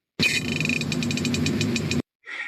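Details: A Pacific herring, a fish of cold northern waters, farts underwater, heard twice: a fast train of sharp ticks over a hissy background.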